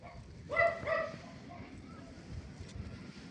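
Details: Kittens at play among crisp fallen leaves on a sunny fall afternoon; two quick steady-pitched meows in succession, then quiet rustling of leaves.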